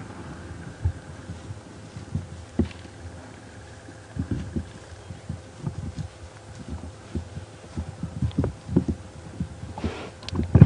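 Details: Low engine rumble with irregular thumps and knocks, like a vehicle bumping along a rough track; no animal calls.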